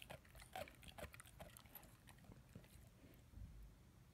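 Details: Ten-month-old German Shepherd/Labrador puppy gnawing on his first bone: irregular dry crunches and sharp clicking bites, several per second, over a low steady hum.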